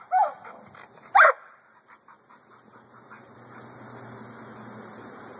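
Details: American Staffordshire Bully at a kennel raising guard and working dogs: two short, loud barks about a second apart, followed by faint yips and a steady background hum.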